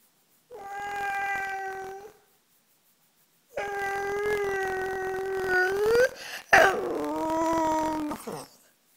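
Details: Cosmo the "talking" dog gives a steady howl of about one and a half seconds. After a pause comes a longer howl rising at its end, a brief sharp yelp, then a final wavering phrase that drops off.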